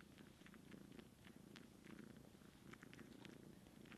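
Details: Kitten dry-sucking on her aunt, a cat with no kittens at the moment, indoors. Steady, low, rumbling purr throughout, with quick, soft clicking suckling sounds scattered over it.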